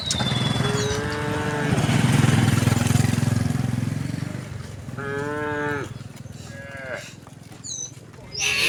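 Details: Resident cows walking along a road moo briefly amid loud low engine rumble from passing traffic, with short harmonic calls near the start and a clearer pair later, plus faint bird chirps.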